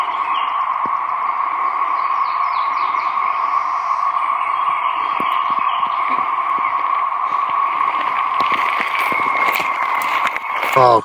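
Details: 17-year periodical cicadas in woodland at York River State Park, Virginia, make a steady, loud droning whine that holds one pitch without a break, with a few faint clicks and some handling noise near the end.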